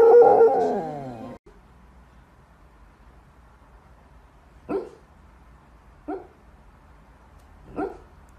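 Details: Corgi Husky mix puppies give a brief wavering whine, then three short, sharp yips spaced one to two seconds apart over a quiet room hum.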